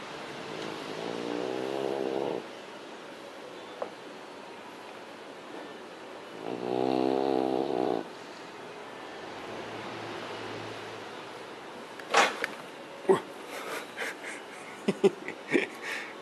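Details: Beagle named Bi-zo sleeping and snoring loudly: two long, raspy, harmonically layered snores a few seconds apart, a faint low rumble later, then scattered clicks and knocks toward the end.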